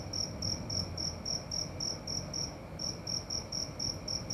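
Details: Cricket calling at night, a beautiful sound: short high chirps repeated in quick, slightly uneven pulses, about four per second, over a low steady background rumble.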